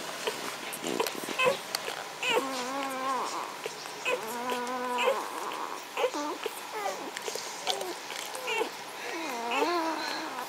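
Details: Litter of Magyar Vizsla puppies, the B litter, recorded on 14 May 2015: overlapping high whines and squeals, some held and wavering, others short and rising or falling, coming in quick irregular bursts with faint background noise.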